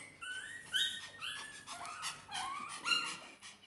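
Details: Dog indoors in a house shared with puppies, kittens, parrots and other pets, wanting the puppies' and kittens' food; a run of high, thin whimpers, each sliding down in pitch, about six across a few seconds.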